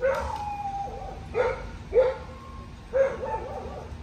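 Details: Two-and-a-half-year-old Cocker Spaniel Lola trains obedience around other dogs to build her confidence. She has anxiety with new people and places. Four loud, clipped barks sound roughly a second apart, with a faint whining tone early on and a low electrical hum.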